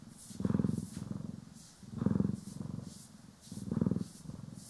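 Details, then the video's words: Pet cat, Poki or Kiwi, purring during brushing and grooming, recorded in stereo: steady throbbing low purr with three strong breath swells about 1.6 seconds apart, airy brush sweeps between them. "CAT ASMR | Purring, Grooming & Brushing"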